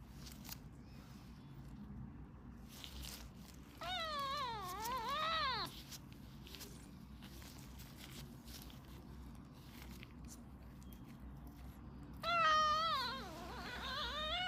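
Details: Sick two-month-old British Shorthair kitten with a viral eye and ear infection, mewing while its ears are cleaned: two drawn-out wavering meows rising and falling in pitch, separated by quiet rustling handling sounds.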